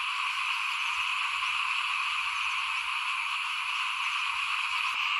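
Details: Small frogs chorus near a house as rice is sown for planting in 2021. Dense, fast croaking pulses form a steady buzzing blanket of sound, with a brief click near the end.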